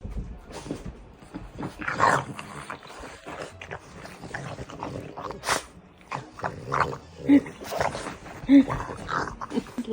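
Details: French Bulldogs wrestling in play make snorting grunts and rough little growls in irregular bursts, with a person talking.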